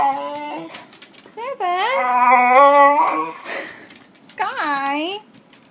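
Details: Female dog indoors, hyperactive with excitement when someone comes home, typically with a toy or bone in her mouth: long warbling moan that rises and falls, then a short upward-swooping whine after a pause.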